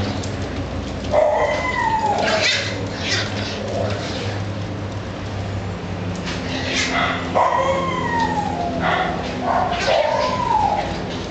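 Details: Italian Greyhound giving a few high, sliding whines that drop in pitch, spaced several seconds apart, over a steady low hum and murmuring voice-like background noise.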